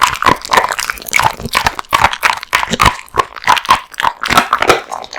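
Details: Crunching bones and tearing raw meat, the male American Bully Kotetsu chews hard in quick repeated bites, wet smacking and cracking sounds roughly several per second.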